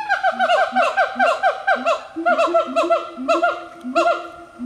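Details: A close-knit family of five siamangs, black gibbons living wild in forest in the remote highlands of North Sumatra, Indonesia, singing together: rapid, repeated hooting notes that swoop up and down in quick bursts over a steady lower booming pulse.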